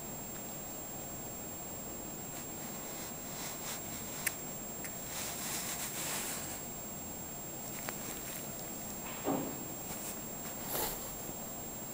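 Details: Quiet indoor room tone with faint footsteps, a few soft knocks and a steady high electronic whine, with no animal voice.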